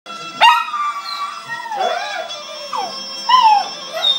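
A Maltese dog howls in sliding, wavering notes over a steady bagpipe drone.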